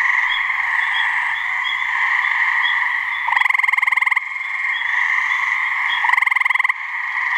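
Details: Two gray treefrogs calling to mate in a New Hampshire swamp. Rapid pulsed trills, each about a second long, come about three seconds apart over a constant shrill chorus hum.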